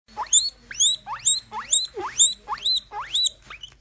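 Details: A baby guinea pig wheeking hard while eating a strawberry: loud, shrill whistles that sweep sharply upward, about eight in under four seconds, evenly spaced, with faint rustling beneath.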